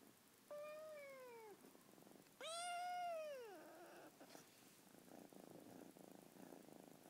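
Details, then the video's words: Lilac British Shorthair kitten, 14 weeks old, demanding attention and wanting to be petted: two clear meows, a short falling one then a longer, louder arched cry, followed by a low purring rumble indoors. "British Shorthair Kitten Demanding Attention"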